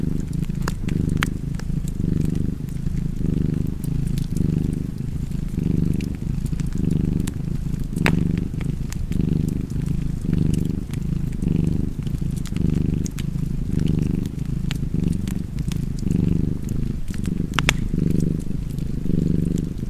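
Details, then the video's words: Cat purring contentedly, a deep vibrating rumble repeating in regular breaths just under once per second, with intermittent crackling of a fire in the background. "Purring Cat and Fireplace 4K / Wallpaper Tv Art Çerçeve / Cozy Purring Cat ASMR / Kedi Mırlaması"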